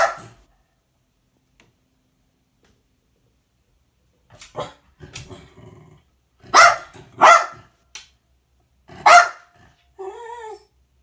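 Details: Jack Russell Terrier indoors tattling on a naughty cat: one sharp bark, a long pause, then a burst of short grumbling woofs and loud barks, ending with a brief curved whine-like cry.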